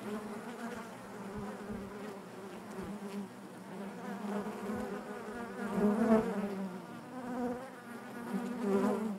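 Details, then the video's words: Many honey bees droning in their hive, a thick steady hum that grows gradually louder toward the sixth second, with fluttering wingbeat texture throughout. "bees therapy hive natural buzzing sound"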